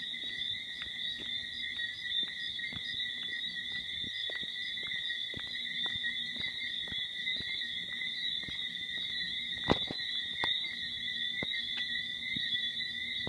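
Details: At night at The Verandah, Antigua, a dense chorus of tree frogs makes an unbroken, high-pitched ringing wall of sound, pierced by short, sharp clicks at a brisk, regular pace.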